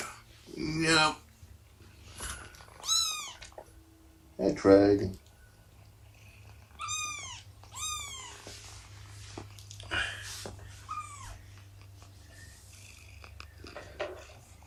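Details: Shelby, an abandoned mother cat of about two years, indoors on the morning of 24 September 2017 during nursing and play time; several high, rising-then-falling meows scattered through, with human voices talking between them.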